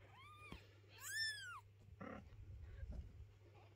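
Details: A mother cat shifting her kittens, unwilling to let their home be cleaned; two arched meows, the second louder and longer, then shuffling and handling noises over a low hum.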